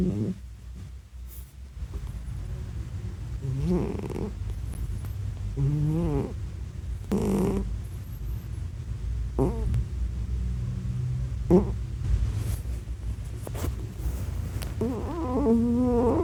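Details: Sleeping domestic cat snoring with fart-like sounds, low rough snorts and wavering nasal buzzes at irregular intervals over a constant low rumble.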